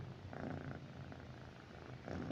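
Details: Pet cat Mithu resting with its owner at night, giving a low continuous purr, a soft even rumble with slight swells in loudness, indoors and quiet apart from a faint rustle near the end.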